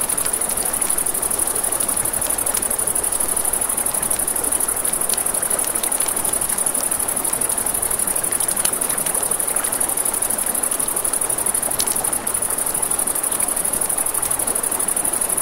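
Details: Night crickets by a river keep up an unbroken high shrill trill, while water rushes steadily underneath and a campfire snaps and pops now and then.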